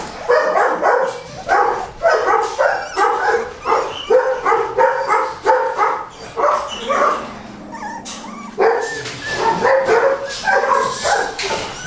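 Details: Goldendoodle puppy litter from 2007, Golden Retriever crossed with Standard Poodle, barking and yipping in a steady stream of sharp, high notes, pausing briefly near the end while a low hum sounds, then yapping resumes.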